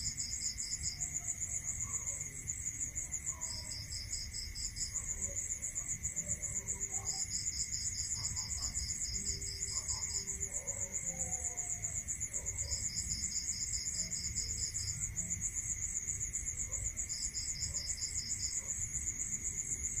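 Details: Crickets chirping at night in a rural area: a ceaseless high pulsed trill is accompanied by a lower trill delivered in bursts of one to three seconds, roughly every four to five seconds, over a faint steady whine and soft low rumble.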